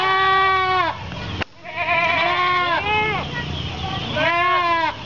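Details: Several goats (Capra hircus) bleat in loud, wavering, harmonic-rich calls while waiting to be fed, at an Islamic boarding school in Kapuas, Central Kalimantan, on Sunday 10 February 2013.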